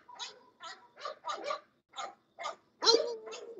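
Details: English Bulldog barking in a quick series of about nine short, harsh yaps over several seconds. The last bark is louder with a held, slightly tonal edge.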